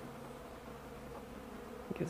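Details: A low, even hum of bees in flight on an unusually warm December 2, 2012 day, 65 degrees, feeding on cappings and honey left outside. Brief rustling and a faint voice come near the end.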